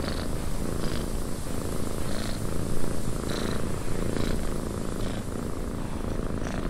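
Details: Close, rhythmic cat purr in a windy cabin, low throbbing drone broken by soft breathy bursts roughly every second over steady wind hiss.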